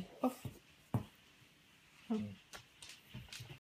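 A Weimaraner moans in short, low, voiced grumbles with pauses between them.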